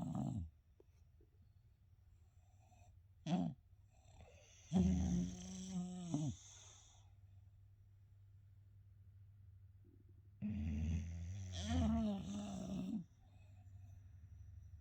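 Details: Two English Bulldog brothers sleep together, snoring loudly, with long rasping, rattling breaths coming every few seconds.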